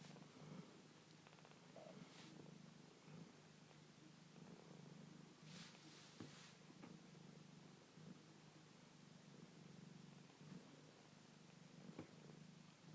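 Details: A foster kitten purrs, a steady low rumbling hum that pulses softly with each breath, among kittens about to eat and fall asleep.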